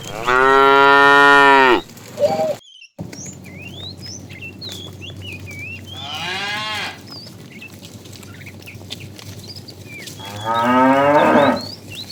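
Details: Tame cows being herded to green pasture in the morning, running happily. A long, loud, deep harmonic moo opens the recording, followed by two shorter moos several seconds apart, with whistled bird chirps in between.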